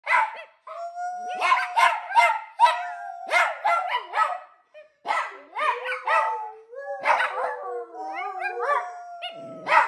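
A Chihuahua and an Italian Greyhound howl together in sustained, wavering tones mixed with yips.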